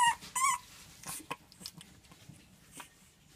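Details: French bulldog puppy, nervous during its first filming session, gives two short high whining yelps with wavering pitch in the first half second, then only faint soft rustles and clicks indoors.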